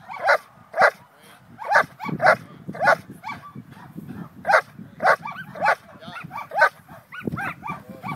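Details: German Shepherd Vincenzo vom Wustenberger-Land, a Schutzhund 3 personal protection dog from the USA, doing protection work: loud sharp barks in quick bursts, roughly two per second and somewhat irregular, with a man's voice talking underneath.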